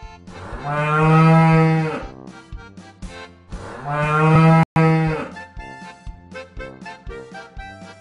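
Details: A cow gives two long, deep, steady moos, the first nearly two seconds and the second shorter, followed by softer broken sounds.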